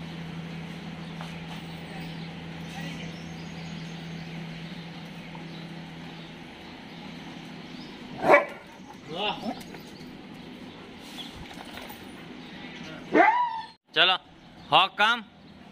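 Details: A dog at a dog hostel in Jodhpur, recorded 27 May 2022, gives a few sharp barks with whiny, wavering tails near the end, after a long stretch of steady low hum and background noise.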